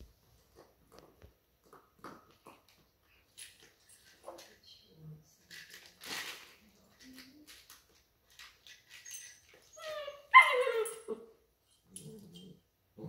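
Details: Two Weimaraner puppies, Mika at 9 weeks and Nara at 8 weeks, playing keep away indoors with a Cookie Monster rattle toy; scattered soft whimpers and rattles, then a loud falling whine near the end, with a brief human voice.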